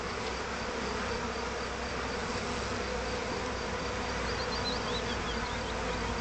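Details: Honey bees accidentally doused in honey and being cleaned, May 2010; a dense, steady hive hum fills the recording with low droning bands and faint chirping bird notes high above.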